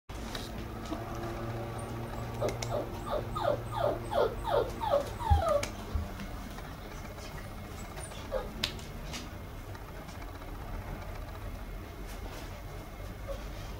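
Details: Red female Toy Poodle puppy, 54 days old: a quick series of high, thin whimpering yips, each bending up then down, about two or three a second for a few seconds, followed by quiet room hum and a soft knock.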